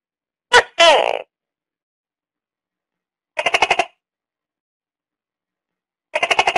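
A tokay gecko gives loud, croaking two-part calls, then bursts of rapid clicking pulses.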